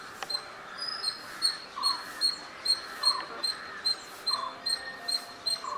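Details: Squirrel chirping, filmed with a Nikon D5300 and 300mm lens: short chirps repeated roughly every half second to second, with a thin high ticking series running alongside and steady faint background hiss.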